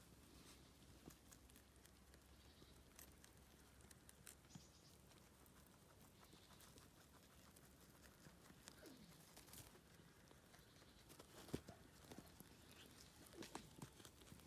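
Rabbits crunching and nibbling dry sorrel, a soft patter of quick crisp chewing clicks.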